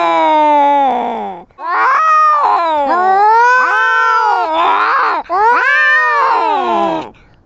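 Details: Quarrelling kittens let out loud, strained caterwauls in quick succession, wavering and bending in pitch, harsh and overlapping, with a brief pause near the start and a quiet end.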